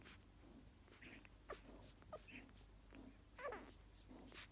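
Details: Golden Retriever puppies on their second day of life give soft, short squeaks and whimpers with faint snuffling between, while competing to feed at their mother's teats.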